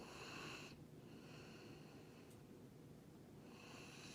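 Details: Wheezing Darth Vader-style snore from Jiji, a male rescue dog of Labrador-Schnauzer mix, in a small room: one hissing breath at the start, a long quiet stretch, then the next raspy breath beginning at the end.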